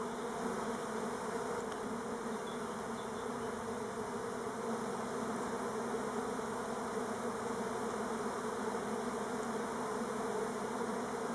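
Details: On Timrarö near Stockholm, Buckfast honey bees of the Elgon strain make orientation flights. A constant, rich humming drone from many bees is sustained evenly for the whole stretch.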